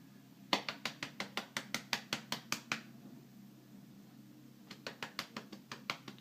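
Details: Quick dry taps and clicks come in two bursts in a small indoor room over a low steady hum, with no animal call.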